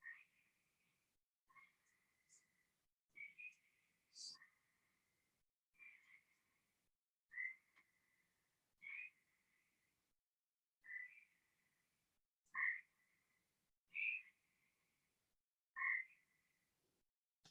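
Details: Gray treefrog, played during a lecture on Ohio frogs, warbling rather than squawking: a steady series of about a dozen short trilled notes roughly every one and a half seconds, some louder and closer, over a quiet background.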